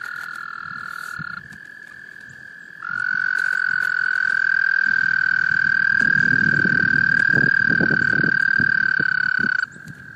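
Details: Male American toads calling females at a small pond in Laurens County, South Carolina, USA, in March 2014; one long trill is followed by a louder, lower, sustained trill lasting about seven seconds, with soft splashing and rustling beneath.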